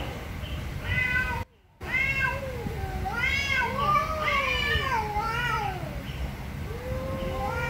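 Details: Loud angry cat meows, several voices overlapping: short bright calls, then longer wavering wails rising and falling in pitch, with a brief silent cut early on and steady low background noise.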